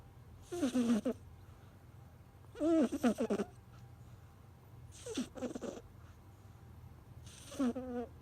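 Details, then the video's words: Sleeping kitten snoring: four short wheezy, nasal bursts with a rising-falling tone, one roughly every two and a half seconds, over quiet room hum. "猫のいびき cat kitten snore"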